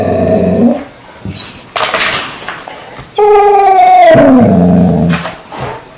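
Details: Indoor pet dog rousing its owner each morning with odd noises: drawn-out harmonic whines and groaning moans, one rising then sliding down, broken by short pauses and rustles, in a hot-weather room where everyone sleeps inside.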